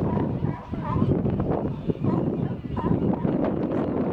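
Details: Sea lions at Pier 39 in San Francisco, a dense chorus of hoarse, honking barks from many animals overlapping continuously, with crowd chatter mixed in.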